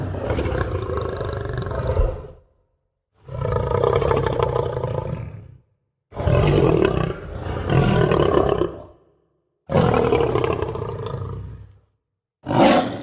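A lion roars in a series of powerful, throaty bursts, each a deep rumble about two seconds long. Brief silences separate the roars, and the last one is cut off as it starts.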